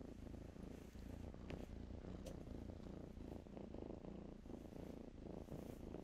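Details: A soft, even purr from kittens nestled and playing in blankets, a constant low vibration with faint fabric brushing on top.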